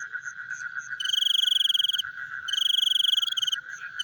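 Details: Nocturnal frog chorus with soft scattered chirps, then two loud, fast pulsed trills of about one second each, over a steady background hum of calling.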